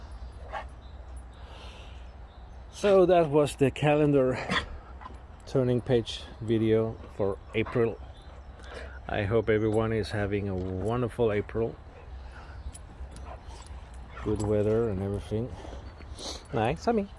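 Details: Whining, talking Boxer named Rex, impatient for outdoor play, gives repeated warbling, wobbling moans in clusters around three, six, ten and fifteen seconds, interleaved with human voices.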